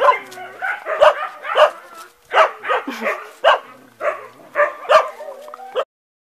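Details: Two dogs playing together: bursts of short yips, grumbles and playful growly barks arrive in clusters about every half second to second, with brief lulls between rounds.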